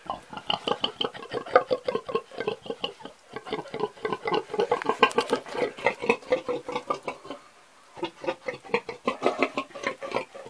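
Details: An old pig grunts almost without pause: a fast, steady stream of short, throaty, rhythmic grunts, with one brief quiet gap before the grunting resumes just as quickly.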